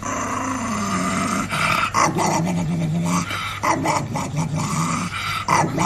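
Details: Pet dog growling while play-fighting with its owners indoors: a continuous low rumbling growl with short rough bursts and yips, overlapped by human voices and a steady low hum.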